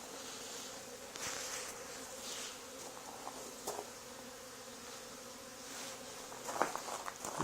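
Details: Honey bee swarm clustered on a barn wall where a hive was removed two days earlier, during efforts to wrangle them; an even, humming drone persists beneath occasional knocks, footsteps and sharp handling clicks.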